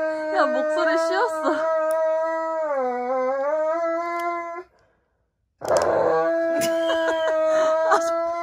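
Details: During an indoor nail-clipping session, a Dobermann makes wavering whines that bend up and down, then a smoother drawn-out howl. After a pause, a steady howl returns with clicking and rustling handling noises.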